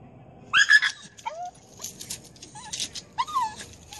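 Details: Staffordshire Bull Terrier "talking" to a squirrel: high, thin whines and yelping vocalizations with rising and falling pitch, delivered in three short bursts about a second apart, with quiet gaps between.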